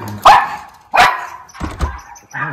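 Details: Two miniature Schnauzers in Aroostook County, Maine, bark at a strange furry muskrat outside on a February day. Two sharp, loud barks are followed by softer yips and grumbles.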